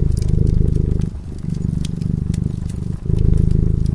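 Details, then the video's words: Cozy fireside purring from a sleeping cat: fast, even low pulses that soften for a couple of seconds and then swell again, accompanied by intermittent crackles from the fireplace. "Purring cat"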